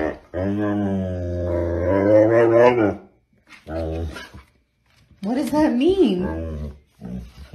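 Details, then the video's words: Siberian Husky talking: long, low droning moan with steady harmonics that rises in pitch, breaks off, then returns as short wavering yodels; music and a person's voice nearby. "Hilarious Talking Huskies Compilation | husky talking"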